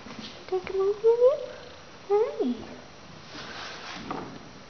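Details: Young female Russian Blue rescue cat, gray-blue coat with a small white belly patch, indoors, talking back when spoken to: two drawn-out rising meows, the second bending downward at the end, followed by quiet room noise.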